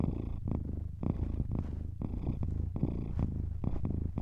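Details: Domestic cat purring steadily: a low, rumbling vibration with regular breathing pulses roughly every half second, alternating inhale and exhale phases, close and continuous.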